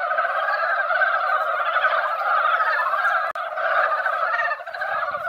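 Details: Mountain frogs gathered at a quiet hill-country pond after a light rain, in the yearly spawning season: a dense, unbroken chorus of overlapping chuckling croaks at mid pitch, with a momentary break just past three seconds.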